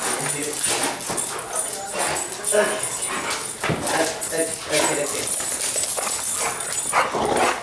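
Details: Excited German Shepherd reunited with its owner after twelve hours apart. It makes a run of sharp yips, whines and barks, mixed with steady human chatter and some high ringing noise.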